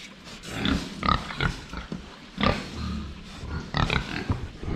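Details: Pigs drinking water in a pen, seen head-on: irregular rough grunts and snorts, some sharp, spaced unevenly about a second apart, with sloshing and knocking in the background.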